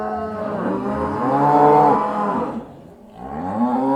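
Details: Cows returning to the barn, one long harmonic moo swelling to its loudest near the middle, then fading briefly before a second rising low moo begins at the end.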